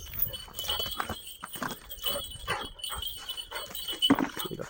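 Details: Kangal dog on a livestock farm where the dogs are raised and fed: a run of short, sharp barks in quick succession across about four seconds, over faint metallic ringing and general farmyard background noise.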